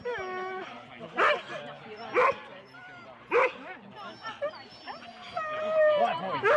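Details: Husky sled dogs in four-dog teams waiting for the start at Rendlesham, January 2016, taped on analogue cassette. Sharp barks burst out about once a second among high whines, with people talking in the background.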